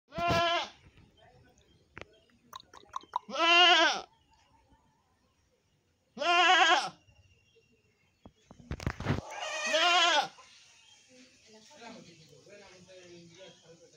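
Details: Black goat bleating: four loud, harmonic, wavering bleats of about half a second to a second each, spaced a few seconds apart, with clicks and rustling between and a hissy noise trailing the last call.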